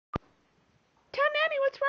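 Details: Milo, a pet cat, talking to his owners indoors: after a sharp click and a short pause comes a run of drawn-out, harmonic-rich meows, with a slight dip between them.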